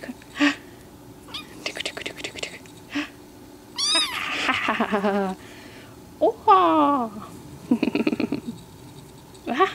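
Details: Surprised black kitten playing "stick 'em up" indoors gives two long wavering meows that slide downward, a few seconds apart, between rapid clicking noises and a person's murmured speech.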